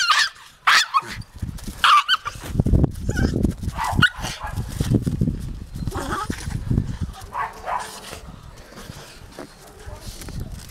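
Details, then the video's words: Taka, a Jagdterrier, lets out sharp, harmonic barks and yelps in a burst during the first two seconds. Single barks follow near four and six seconds over a low, rumbling background. "Taka a jagdterrier"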